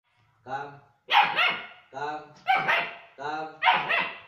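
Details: German Shepherd puppy giving a run of harmonic, yelping barks in pairs, a softer tonal bark followed by a louder harsh one, repeated three times over four seconds.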